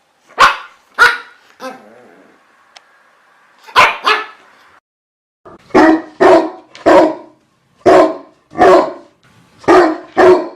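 A dog barks repeatedly in sharp, loud bursts, with a brief pause partway through.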